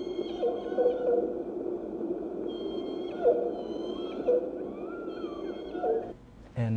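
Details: Southern resident killer whales of J-pod, off Victoria, southern Vancouver Island, British Columbia, give stereotyped calls in their pod's distinctive dialect: repeated flat tones ending in a descending glide.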